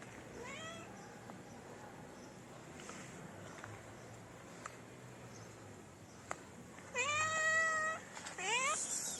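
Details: Stray cats in a Moroccan city, a pair approaching for mating and a hungry one-eyed tabby; a short whining meow early on, then a long strained meow followed by a shorter rising one near the end, over quiet outdoor background.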